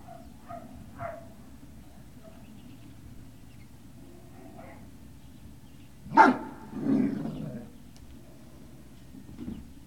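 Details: Great Dane puppies at Puppy Hill, 18 November 2018, early afternoon: a few faint short whimpers at first, then one loud sharp bark followed by a longer, lower yelping cry, all over a steady low hum.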